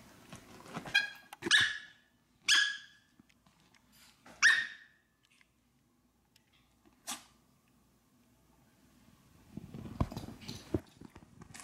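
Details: Maltese dog named Fanta begging for food: four sharp, high, ringing barks in the first five seconds, spaced about one to two seconds apart, then a single short yap, followed by soft rustling and clicking.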